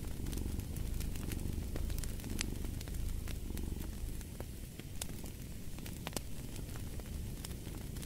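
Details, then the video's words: Cat purring by a crackling fireplace: a deep, fast-pulsed rumble that softens slightly midway, with scattered bright snaps and pops from the fire throughout. "Purring of a Cat"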